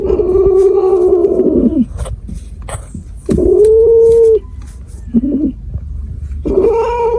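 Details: Cat yowling in drawn-out, harmonic wails: a long steady cry for nearly two seconds, a second shorter level wail, a brief squeak, then a rising yowl at the end, with faint rustling between calls.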